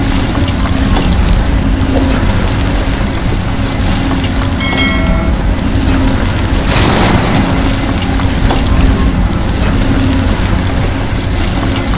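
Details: Loud, steady truck engine rumble with strong low-frequency drone and a brief horn-like tone, no animal voices heard.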